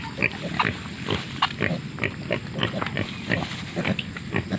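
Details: A wild boar sow sniffing around with her piglets gives low, rapid grunts mixed with the young's higher squeaky squeals.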